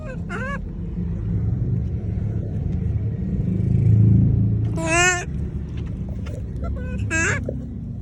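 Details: Monkey calling to people: three short harmonic cries, the first near the start with rising then dipping pitch, then a longer wavering one at about five seconds and a third near seven seconds, over a steady low engine-like rumble.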